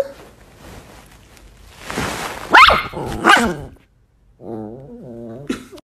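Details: Angry pet Chihuahua barking at its owner: two short, harsh, broadband barks about a second apart, preceded by rustling. A woman's voice follows, talking over the dog.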